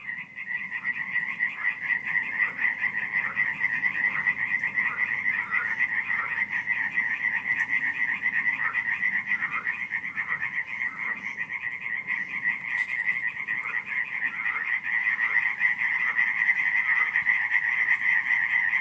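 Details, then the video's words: Frogs croaking at night in July 2015 at Radziszów, Poland: a dense, unbroken chorus of many rapid, rattling croaks overlapping into a steady high buzz, with faint scattered clicks above. "nocne kumkanie żab"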